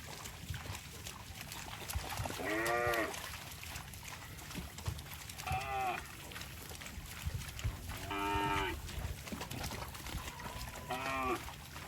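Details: Cattle crossing water in rice fields, with four separate short moos spaced about three seconds apart, each with a bright stack of harmonics, over low background rumble.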